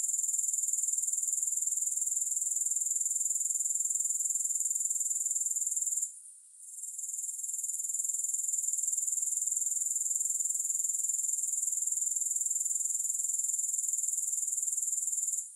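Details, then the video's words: Grasshoppers heard with no music, a steady high-pitched shimmering buzz made of rapid pulses, briefly dropping out for about half a second near the middle before resuming unchanged. "Grass Hopper Sounds"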